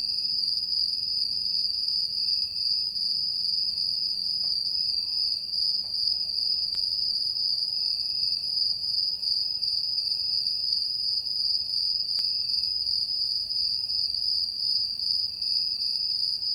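Crickets trill steadily in a high, unbroken night chorus.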